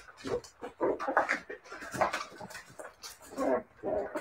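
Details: Siberian Husky puppies giving a run of short, mid-pitched whimpers and yips, several bursts per second with brief gaps, rising and falling in loudness over about four seconds.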